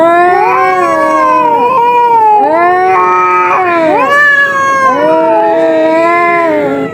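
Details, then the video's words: Two cats fighting, yowling together in long, wavering, drawn-out wails that rise and fall, the two voices overlapping and bending against each other without pause through the whole stretch. "দুই বিড়ালের তুমুল লড়াই"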